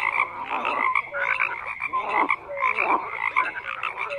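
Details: Brief stretch of a crowded frog chorus, rattling croaks layered over each other with a few short tonal notes standing out.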